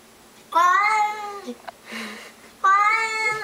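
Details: Housecat crying out belligerently at a stray cat lurking in the bushes outside: two loud, drawn-out, harmonic yowls, the first about one second long and the second starting near the end, with faint soft sounds between.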